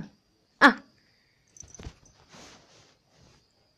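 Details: Toy Pomeranian kept as a pet in Kathmandu, Nepal, wanting to climb onto the bed indoors: one short sharp bark, followed by faint rustling and soft thumps in a quiet room.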